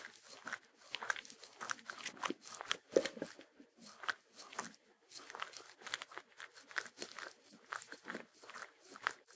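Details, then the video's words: Eating Sheltie dog (Shetland Sheepdog), no music: clusters of loud, crackly crunches and chewing with short pauses between bursts, bites coming roughly every half second. "ASMR Dog Eating Sounds [No Intro\No Music\Loop] #28 Long Version Sheltie Dog (Shetland Sheepdog)"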